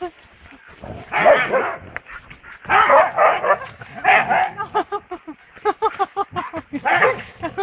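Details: Szuszu, an old woolly Siberian Husky, playing in the forest near Balatonalmádi: harsh, noisy barks in short bouts about a second apart, then a run of quick, clipped, rhythmic yelps, with a human voice close by.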